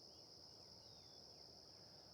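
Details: A steady, high-pitched insect chorus hums without a break in a hot, humid meadow in early morning golden light, with faint thin bird notes (crows, sparrows) and a low rumble of distant traffic beneath.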